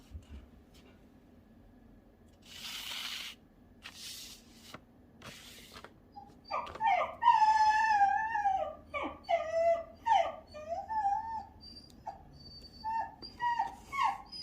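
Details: Shiba Inu dog giving a string of short whiny yelps and whimpers, wavering in pitch and repeated in quick bursts, after a few soft rustles and knocks.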